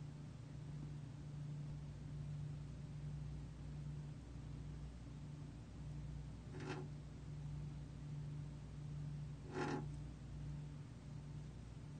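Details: A steady low mechanical hum runs throughout, broken only by two brief sharp clicks. No animal voice can be picked out.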